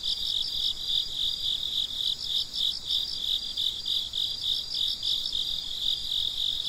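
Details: Crickets chirping at night in a continuous high, ringing chorus, with evenly spaced pulses about three per second over a steady background trill.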